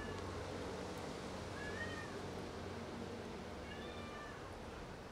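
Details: A domestic cat that has caught a rat and brought it to show off gives two soft meows, one rising and falling near the second mark and a fainter one near the end, over a steady low background hum.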